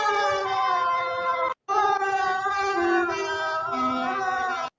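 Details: A dog howls along to the song What a Wonderful World, singing to his new friend: long, held, tonal wails with rich harmonics, stepping between pitches like a melody, broken by one short gap.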